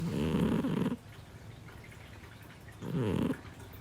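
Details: Snoring of Parfe, a 7-year-old female Scottish Fold cat kept indoors in a multi-cat home: two low, rough rasping breaths, each lasting under a second, separated by about two seconds of near silence.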